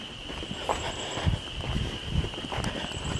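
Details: A distant chorus of frogs, believed to be spring peepers, at a lake in the Westhampton Dwarf Pine Barrens on a Tuesday makes a steady, high shimmering whine behind close footsteps.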